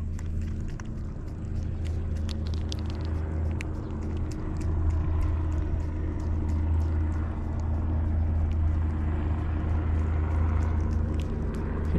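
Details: A low outdoor rumble of traffic or engines runs throughout with scattered sharp clicks and knocks, and no clear animal call.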